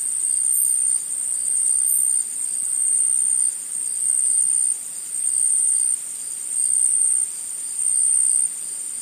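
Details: Insects in a forest, a dense, very high-pitched shrill drone holding steady throughout, its loudness stepping up and down every second or so, with a few brief sharper ticks near the start.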